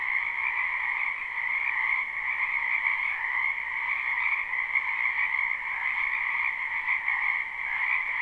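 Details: Spring wetland frogs in full chorus, live recording with no looping: countless overlapping croaks merge into a continuous buzzing trill that holds a constant level throughout, no gaps and no other animals or noise.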